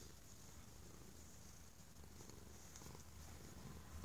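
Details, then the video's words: Indoors, a stray cat grateful for affection and safety purrs very loudly, a dense, even low-pitched throbbing drone running without a break. "the Stray Kitty Purrs Like an Jet Engine"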